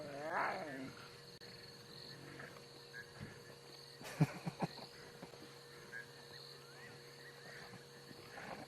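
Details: On an evening safari drive on 24 September 2016, lions of the Nkuhuma pride snarl and spit in harsh, raspy bursts, "spitting mad", squabbling while feeding on a buffalo kill.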